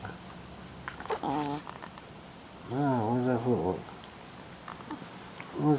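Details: A female Shih Tzu puppy playing rough indoors gives a short whiny note, then a longer wavering, throaty grumble lasting about a second. A person talks softly in the background.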